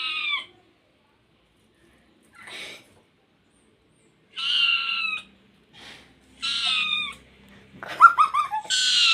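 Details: House cat giving a series of clear meows, each a bright, slightly falling cry, separated by quiet pauses. The last two are louder and more insistent, with brief faint rustling.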